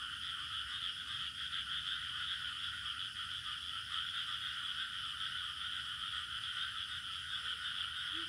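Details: Crickets in a village soundscape, a constant high shimmering trill without breaks, over a lower continuous chorus layer, with one faint low note at the very end.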